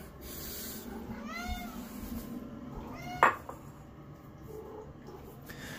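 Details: Pet cat in a bathroom while being given wild red king salmon fillet, producing two distinct meows about two seconds apart, the second sharper and louder, over a steady background hum with a man talking nearby.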